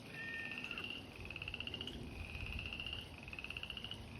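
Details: Frogs calling in spring at an abandoned fish pond that usually dries up in summer; trilled pulsed notes repeated in long overlapping runs, with a brief whistled note early on and low rumbling background.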